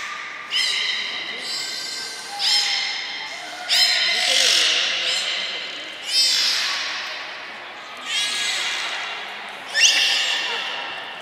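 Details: Belugas Hodoi, Taanya and Mirai train at Nagoya Port Aquarium, Japan, on 1 November 2020. Roughly six sharp-onset, harmonic squeals repeat about every one and a half to two seconds, each decaying in a hall-like echo.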